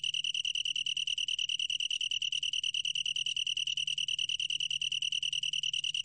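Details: Long-tailed tree cricket recorded by Korea's National Institute of Biological Resources in 2020: a steady, pure, ringing trill on one high pitch, finely and rapidly pulsed without a break throughout, over a faint low hum.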